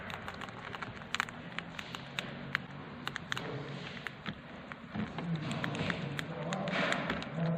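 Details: Hamster eating a meal of dry seeds, using its hands: rapid, irregular crisp clicks and crunches of nibbling, about three a second, over a low hum, growing busier toward the end.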